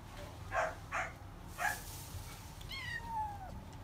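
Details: Female Scottish Fold cat, born 21 September 2019, giving three short, clipped meows about half a second apart, then a longer meow that starts high and slides steadily downward, with a quiet low hum behind.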